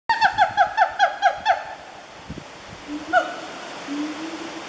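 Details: A wild siamang (Symphalangus syndactylus) family calls at Fraser's Hill, Peninsular Malaysia, on 12 January 2014, in a quick run of loud, sharply falling barking notes, then a few scattered hoots.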